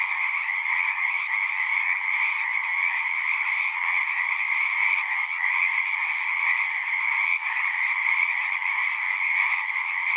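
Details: Many frogs calling together in an unbroken wall of trilling song, two stacked pitch bands humming evenly from start to finish at constant loudness, with no silence and no other animals or people.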